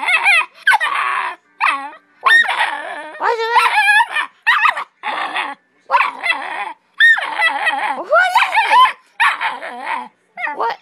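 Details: A pet pit bull puppy talks back to its owner, refusing to let her speak: long chains of loud, wavering, howl-like whines and yappy barks in rapid bursts, pitch sliding up and down, almost no pauses.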